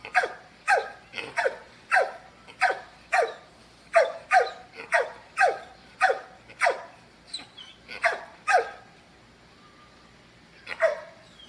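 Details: Big dog barking in a fast, steady series of sharp, harsh barks, about two per second for roughly nine seconds, then a brief pause and one last bark near the end; no other sounds.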